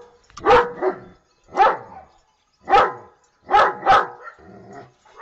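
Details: Domestic dog barking four times in a steady series, each bark sharp and punchy, spaced roughly a second apart, with a softer rough sound trailing at the end.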